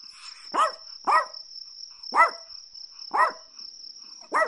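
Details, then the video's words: Chihuahua barking: five sharp, high, yelping barks spaced about a second apart, each with a quick rising-then-falling tone, over a steady high-pitched ringing tone in the background. "Chihuahua Barking Sounds"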